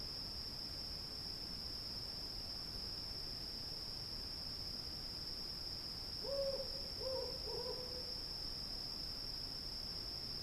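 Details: Night field ambience with cicadas giving a constant shrill, unbroken buzz. Midway, a brief series of three low hoots rises from the background, then fades back into the even drone.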